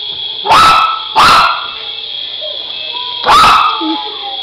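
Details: A poodle barks at a micro helicopter, giving three sharp barks about a second apart and then again after a pause, over a steady high mechanical whine from the toy aircraft.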